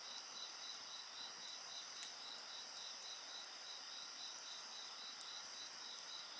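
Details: Layered insects sing without pause, one voice pulsing in rapid beads, about 220 a minute, over constant high shrill trills, while a bonfire crackles now and then.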